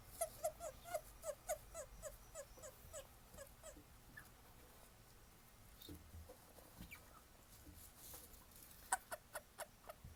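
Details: Captive male Japanese stream toads (Bufo torrenticola), recorded 20 October 2016, each male calling differently. Short soft notes repeat about four times a second for nearly four seconds, then return in a brief burst near the end, faint over background hiss.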